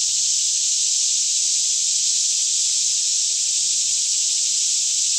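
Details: Many cicadas singing together by day in a Kentucky forest near Franklin, mid-morning with little wind; a continuous sizzling high buzz stays level from start to end, a soft low hum beneath.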